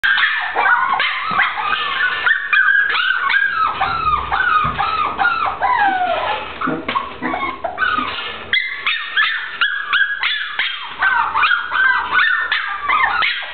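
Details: Brown short-haired dachshund giving a run of high, wavering whines and yelping cries that rise and fall, with drawn-out howl-like notes and brief gaps between bursts.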